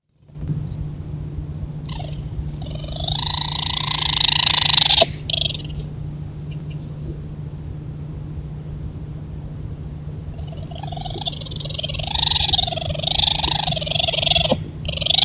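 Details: Raccoons mating at night in the woods, caught on a trail camera: two bouts of loud, harsh, wavering trilling screeches, the first rising to a peak around four seconds, the second longer and churring, over a steady low hum.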